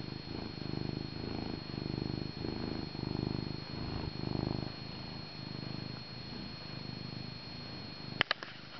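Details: Male domestic cat purring on or near his owner's lap, a strong rattling purr that swells and fades with each inhale and exhale, roughly every 1.2 seconds, ending with a couple of sharp camera knocks.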